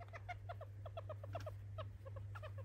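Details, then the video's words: Captive pet hamster giving unusual squeaking, new behaviour for this animal: short harmonic squeaks in quick uneven bursts with a brief pause near the end, a low mains hum underneath throughout. "喋るハムスター / Hamster berbicara"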